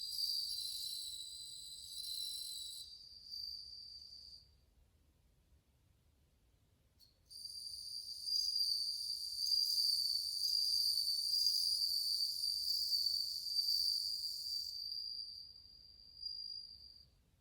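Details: A crowd of bell crickets, August 2020, rings with high tinkling trills that stop for about three seconds of quiet, then resume as a fuller sustained chorus before tapering.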